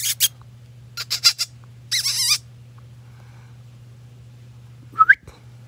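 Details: Bichon puppy giving a high, wavering whine with a bending, harmonic-rich tone, then a short sharp rising squeak near the end, between bursts of breathy scratching noise over a steady low hum.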